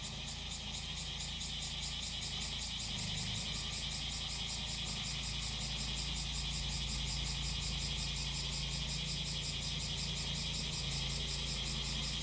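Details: Cicadas singing during roadside grass cutting, a high buzzy drone pulsing steadily about three times a second throughout, layered over the constant low hum of a brush cutter engine.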